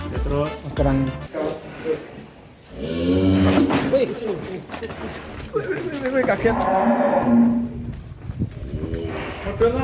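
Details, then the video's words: Very large bull of about one ton being led out of its pen in Indonesia, giving deep harmonic moos and bellows amid shouting people and background music. "SAPI EXTRIM 1 TON UP BERAKSI KELUAR KANDANG"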